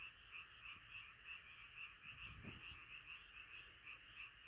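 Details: Gathered frogs croaking at night, one caller standing out with short bright notes repeated about three times a second over a steady high chorus, plus a faint low knock midway.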